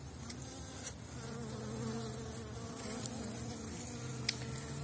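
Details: Elgon bee honeybee colony in an opened hive after wintering, strong, covering seven widened Warsaw frames, queen laying, 2019 season; steady low droning hum with layered tones and occasional sharp clicks from handling the hive.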